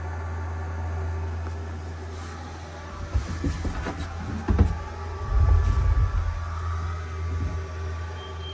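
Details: A steady low engine hum with scattered mechanical knocks and rattles, and no animal sound.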